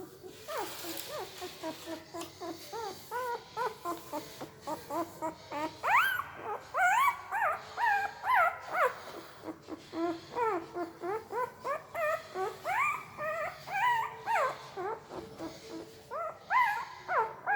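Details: Puppy whimpering in its sleep, a steady run of short, rising, squeaky yelps about once a second, some grouped in quick pairs, over a quiet indoor background.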